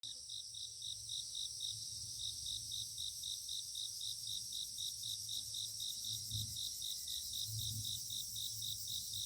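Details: Grass insects in a dawn chorus on a foggy mountain morning: a steady, high, pulsed trill repeats about four times a second over a continuous very high shimmer, with faint low rumbles beneath.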